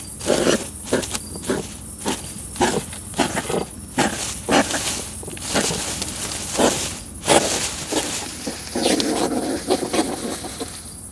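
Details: Courting or fighting European hedgehogs in a garden during mating season, a female testing a male's strength and persistence: loud huffing puffs repeated roughly every half second, ending in a longer rasping snort.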